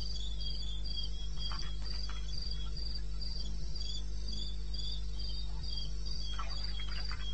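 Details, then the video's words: Cricket at 2:30 AM, 21 May 2016, in eastern Botswana wilderness: a steady string of high, bright pulses roughly four each second, a second fainter chirping line just below, a few brief crackles and an unbroken low hum. "1 Hour cricket sound-Africa"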